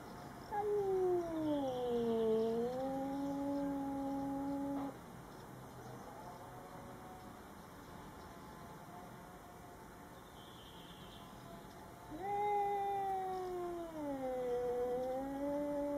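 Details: Domestic cats meeting a Bengal neighbour for the first time: two long, drawn-out wavering yowls, each dipping in pitch then levelling off, separated by several seconds of quiet indoor background.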